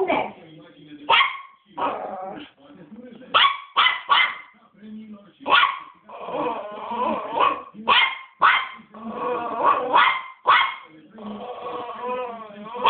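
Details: A three-month-old West Highland White Terrier puppy, angry and barking nonstop: high, sharp barks repeated every half to one second, interspersed with lower growly whines and soft human voices.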